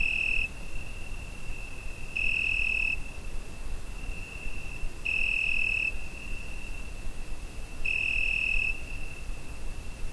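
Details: Cricket on a summer night, recorded with a Zoom H5: a steady high thin tone with a louder ringing burst under a second long about every 2.5 seconds, four bursts in all, over a soft low hiss.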